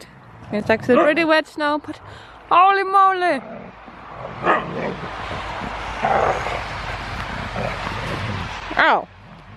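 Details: Huskies wrestling in play, which may look like fighting but is only playing: several wavering, whiny howl-like yowls with rising and falling pitch, a sharp bark, then scuffling and rustling before a final short yelp.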